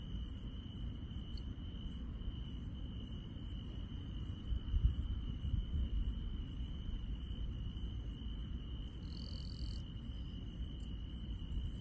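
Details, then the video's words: Grass insects at night in the Korean countryside: a steady high continuous trill runs throughout, with fainter, very high regular pulses about every three-quarters of a second and a brief buzzy burst near the end, over a low rumbling background. "시골 밤의 정겨운 풀벌레 소리"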